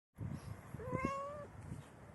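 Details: Domestic cat about four hours before giving birth, giving one drawn-out meow that rises then holds level for about half a second, with soft low rustling and thumps underneath in a quiet indoor space.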